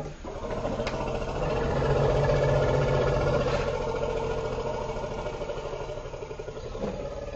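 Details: African forest elephants, two females of an extended family, exchanging emotive greeting rumbles in a Dzanga forest clearing, Central African Republic; a continuous deep, harmonic-laden rumble swelling and holding steady for the whole stretch, with faint clicks.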